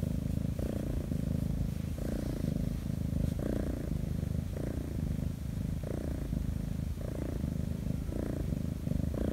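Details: A rescued former-stray Korean shorthair kitten purrs nonstop while being petted on its paws, tail and belly in sunlight, a deep steady close-up rumble that swells with each breath.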